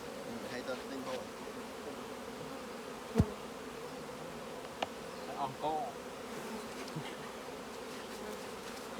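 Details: Colony of honey bees buzzing inside their hive during a honey harvest by beekeepers; a continuous low hum, broken by a few sharp clicks and knocks from handling the frames.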